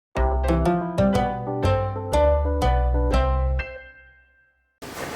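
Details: A plucked, harp-like melody of about a dozen notes rings out and fades, then a short burst of noise follows, with no animal voice.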